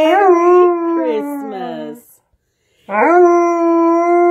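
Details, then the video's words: Alaskan Malamute singing along to Jingle Bells at Christmas time: a long, clear, harmonic howl wavering then falling, a short silence, then a second howl that rises quickly and holds a steady pitch. "Malamute Sings Jingle Bells!!"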